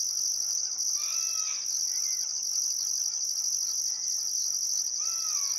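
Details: Australian crickets at sunset on a still summer afternoon, Barcoo River, Welford National Park, Outback Queensland: unbroken high-pitched trill with a rhythmic upper pulsing band; a few clear bird whistles, one rising then falling, come through twice.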